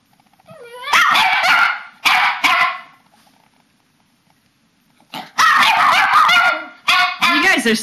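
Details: Pet papillons and a shih-tzu in their nightly bedtime 'chat', March 2007: a whine sliding upward into loud warbling yowls, silence for two seconds, then another long wavering howl chorus; a woman's voice urges them to sing.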